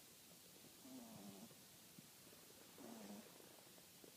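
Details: French Bulldog. A French Bulldog snores with low, rattling breaths that drop slightly in pitch. Each snore lasts about half a second and comes roughly every two seconds against a quiet, hissy background.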